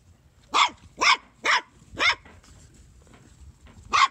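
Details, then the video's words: A bouncing Corgi puppy gives short, sharp barks in a quick burst, then one more after a pause. "Bouncing and barking Corgi Puppy"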